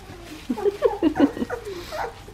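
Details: Two-and-a-half-week-old Australian Shepherd puppies from Poppy and Dublin's litter, on an Oklahoma breeding farm: a quick run of low grunting whines and squeaks, about eight short bursts in under two seconds, in a quiet room.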